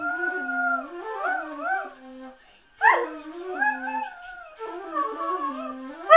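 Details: A whippet dog indoors, usually scolded for loud barking, sings instead: long wavering howls with rich harmonics, sliding up and down in pitch, two sustained phrases separated by a brief pause before a sharp rising yelp restarts the howling.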